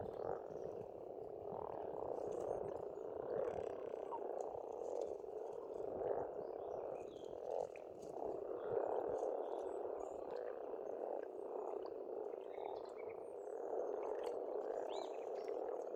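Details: A long stretch of massed frog croaking at a spring pond in Estonia, rhythmic rattling pulses swelling and fading, with only faint distant birdsong behind.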